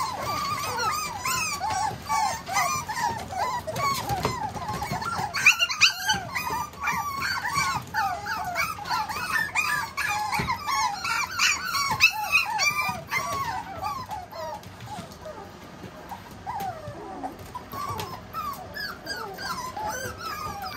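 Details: Male Tiny Poodle puppy of calm temperament whining continuously, a long stream of high, wavering squeals and yelps, several per second, easing slightly toward the end, in a small indoor room.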